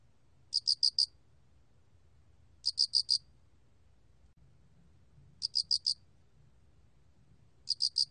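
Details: A mottled cricket from a 2020 recording sings sharp, high four-note chirps in regular bursts, four bursts spaced about two and a half seconds apart, with a faint rumbling background.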